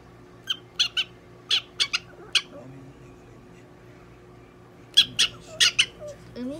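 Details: Pet prairie dog Donguri-chan, handled during examination and treatment at a Nagoya animal clinic, lets out a run of six quick, harsh squeaks, then a pause and another cluster of sharp chirps, with murmured human voice and room hum.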